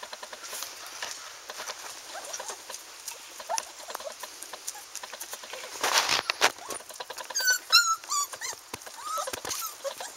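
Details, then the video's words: One-month-old Standard Poodle puppies playing outside: scattered high whimpers and squeaky yelps, a burst of rising whines near the end, with pattering and rustling throughout. "Poodle Pups one month old playing outside"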